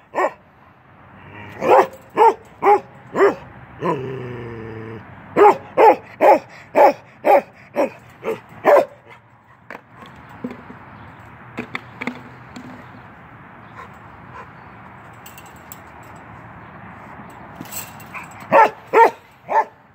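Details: Playing through a fence, Keweenaw, a male Norwegian Elkhound aged 10 months, lets out rapid runs of sharp barks with a brief drawn-out whine between them, then a quiet stretch before a final quick burst of barking.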